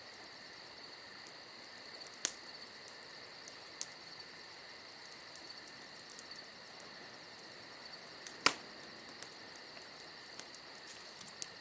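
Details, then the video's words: Crickets shrill steadily through a summer night, an even high-pitched drone with a rapid pulsing edge. Campfire crackles break in now and then, including a sharp snap at about two seconds and a louder pop later. "Summer Night Crickets & Crackling Fire"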